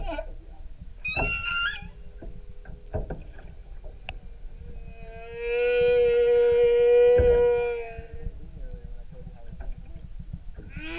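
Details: Singing humpback whale off Maui, Hawaii, heard from an outrigger canoe tour: an early high harmonic squeal, scattered short knocks and grunts, then a loud sustained mid-pitched moan lasting about two and a half seconds, ending with a rising cry.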